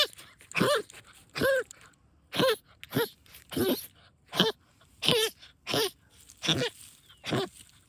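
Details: An excited female pet dog digs in backyard mole trenches, letting out a steady run of hoarse, goose-like honking snorts, roughly ten bursts spaced under a second apart, each with a brief wavering nasal tone.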